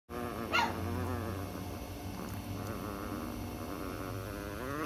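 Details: A tiny female Chihuahua growls angrily when someone else gets too close to her: a steady, low, rumbling growl that runs through the whole clip, with a brief higher yelp near the start.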